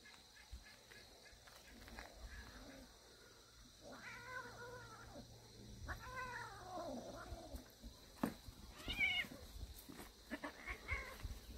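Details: Kittens from a warehouse cat family playing hard in the morning: several soft, wavering meows with arched pitch rise and fall at about four, six and nine seconds, over a low steady hum and light rustling.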